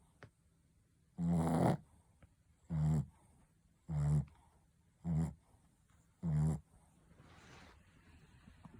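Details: Ponta the Shih Tzu snores in a steady run of five throaty, vibrating inhalations spaced roughly a second apart, then a softer breathy exhale fades out near the end.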